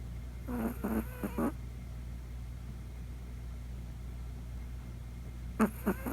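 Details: Deeply asleep at night, the young Chihuahua Poko snores for the first time: clusters of short, fluttering, rattly snorts in quick succession, then a pause before another brief burst, over a low steady background hum.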